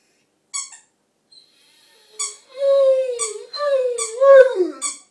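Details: Rhodesian Ridgeback named Frank joining in with a squeaky toy: short toy squeaks, then a rising and falling tonal howl, a second wavering howl ending in a downward slide, in a quiet room.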